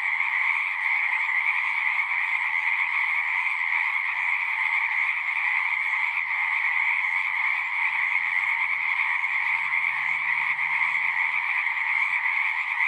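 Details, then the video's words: Pond in a horse pasture alive with a frog chorus, overlapping trills forming a steady loud drone for the whole stretch, with faint low murmurs in the background. "Frogs singing"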